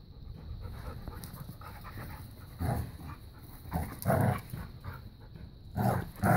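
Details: A new puppy plays keep away and tug of war with Bella, a five-year-old black lab pitbull. Low, rough growling and huffing bursts come in three louder bouts around scuffling and panting, with steady low background noise throughout.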